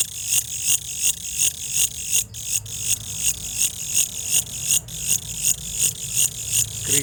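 A cricket chirps in quick, regular bursts of high, bright trilling.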